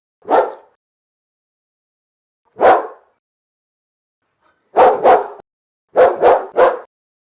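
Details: Domestic dog, one of many breeds in a barking compilation, giving single barks first, then quick bursts of two and three barks in succession, against silence.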